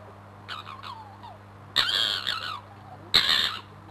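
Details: A fox named Crooked-Tail in a fight beneath a bedroom window: a thin, wavering downward whine, then two loud, grating screams of about a second each, with a constant low hum behind.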